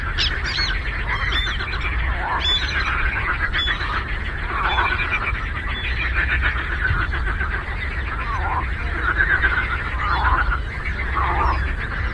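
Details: Frog chorus on a lake: many overlapping, rapidly pulsed croaks and rattling calls blend into a continuous din, with a steady low rumble underneath throughout.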